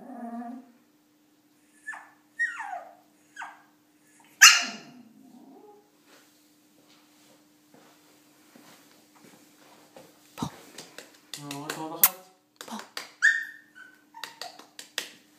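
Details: Shih Tzu puppy afraid to go down stairs indoors, making repeated short whimpers and a louder yelp, while a woman coaxes it in Hebrew; later clicks, taps and handling noise with more whines.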